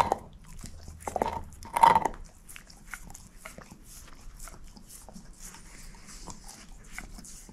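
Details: Moose, a female shepherd mix, working on a bone. A burst of heavy crunching and biting in the first two seconds gives way to softer, steady gnawing and small clicks.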